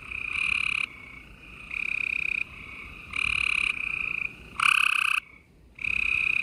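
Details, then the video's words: Gray treefrogs in a busy nighttime spring chorus in Houston, Texas: a run of buzzy pulsed trills, mostly under a second each, with several frogs overlapping and a brief lull before the final loud call. "Gray Tree Frogs Chorus"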